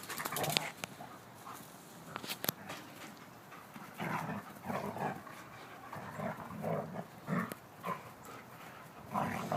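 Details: Two German Shepherds at play, Abbey, a brown 16-month-old female, and Bear, a silver 9-month-old male: low growling bursts come and go among panting, scuffling and sharp knocks.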